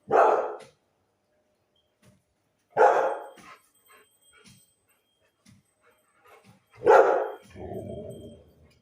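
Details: Household dog barking after goat herders close by began hitting a tree and making a tapping noise; three loud separate barks spaced about three to four seconds apart, the last followed by a lower drawn-out growly sound.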